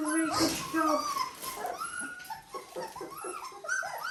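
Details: Dalmatian puppies at 17 days old, several squeaky whimpers and yips overlapping with rising and falling whines, mixed with a person talking and some wind.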